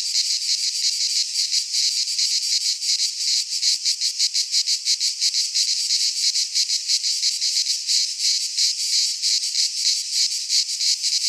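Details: Greek pine forest cicadas in midsummer, many insects buzzing together in a shrill, grainy drone with rapid rhythmic pulsing that grows more even over the stretch; nothing else audible.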